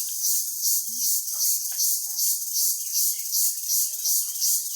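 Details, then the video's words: Small crickets calling very loudly in a village: a dense, high, hissing buzz pulsing in steady beats about two or three times a second throughout, with faint low rustles beneath. "ছোটো ছোটো পোকা, অনেক শক্তে ডাক দেয়, শুনেন।"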